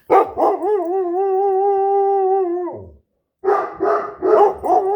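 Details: Domestic dogs, a Great Dane and a Standard Poodle, howling: a few quick yelps lead into a long, steady, smooth howl of about two and a half seconds that drops off, then wavering, yodelling howls resume after a pause.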